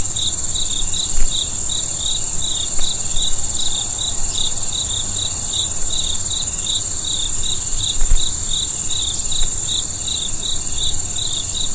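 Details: Crickets at night, a steady run of short, high chirps repeating about three times a second without pause, over a constant hiss and a soft low rumble with a few faint knocks.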